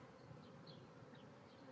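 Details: Honey bee hive being re-queened after a hive split, with a new queen released from her cage; a dense, steady low buzz of many bees fills the clip without breaks.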